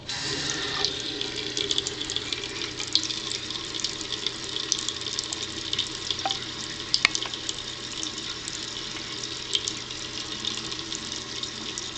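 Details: A tap runs steadily into a sink, a bright hissing wash with occasional clicks and drips; no animal voice.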